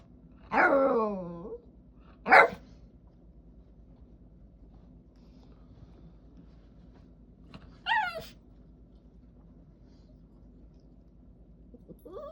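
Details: Female Jack Russell Terrier indoors making noises because she wants to play with her brother: a long descending whine, a short sharp yelp, then a high wavering whine and a brief squeak, separated by quiet pauses.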